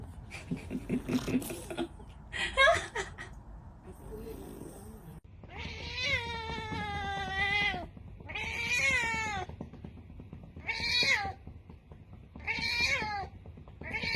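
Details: Domestic cat giving long, drawn-out wavering meows with rich harmonics, several in a row about two seconds apart after a noisy start with other sounds; a low steady hum underneath.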